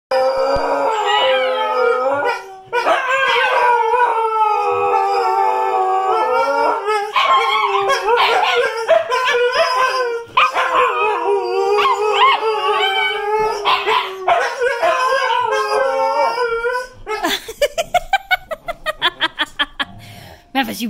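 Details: Female Siberian husky puppy learning to howl, taught by her sisters, gives long, wavering, high-pitched howls that rise and fall in sustained bursts.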